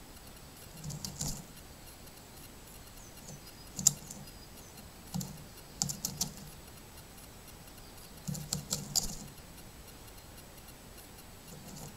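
Scattered bursts of dry, rapid clicking and tapping, much like typing on a keyboard, over a faint steady hiss, with no animal voice.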